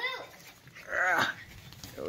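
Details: English Bull Terrier giving one short, high, whining yelp that rises then falls in the middle, with a person talking before and after.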